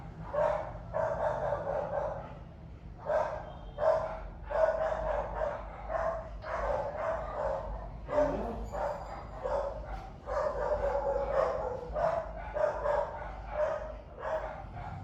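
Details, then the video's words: Dog barking while a pet monkey listens curiously; steady bouts of repeated mid-pitched barks, several per second, with short pauses between bouts "Monkey Lyly was curious when she heard the dog barking"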